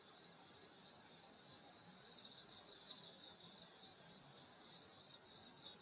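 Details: Grass insects singing on a summer night in the countryside at a grandmother's home: a dense, steady, high shimmering trill in several layered bands, unbroken throughout, with faint low background rumble and no other clear sounds.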